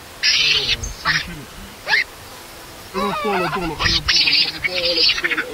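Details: A baby monkey cries loudly after its mother leaves it alone. Shrill, harmonic screams come in short bursts: a few quick cries at first, then a longer, wavering run of broken wails near the end, over faint background hiss.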